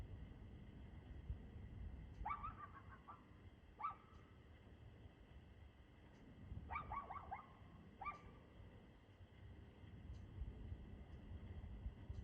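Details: Distant dog barking recorded on 2/6/2024 at 6:02 pm: short bursts of two to four barks spaced a few seconds apart, faint against a continuous low rumble of background noise.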